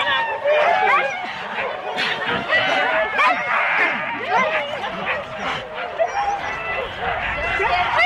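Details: A dense chorus from Husky sled teams of four dogs at the complete start, Rendlesham, January 2016: rapid overlapping barks, yips and whines fill the air nonstop, recorded on analogue cassette tape.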